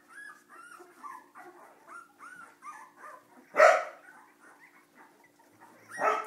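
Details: Cardigan Welsh Corgi puppies misbehaving: a run of short rising whimpers, then a loud harsh bark near the middle and another at the end.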